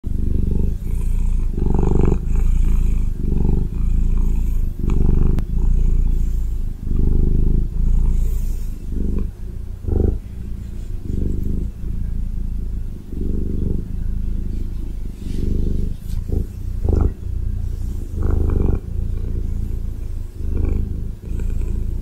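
A Ragdoll cat purrs close up, a deep, steady rumble that swells and eases with each breath.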